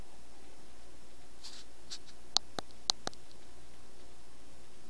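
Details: Hungry squirrels quarrelling, giving a few sharp, high squeaks, two louder ones close together and softer ticks around them, over a quiet steady hum.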